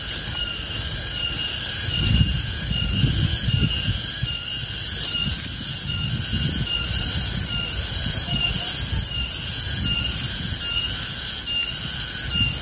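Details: Wild Garengpung cicada keeping up a piercing high-pitched whine, beating in regular pulses about once a second. A rumbling low background noise swells and fades beneath it throughout.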